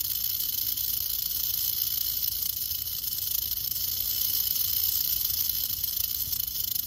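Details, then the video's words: Rattle of a western diamondback rattlesnake inspecting the person recording it; a steady, hissing buzz, dense and unbroken, swelling a little in the middle and holding level throughout. "One minute of a Crotalus atrox ( rattlesnake ) rattling"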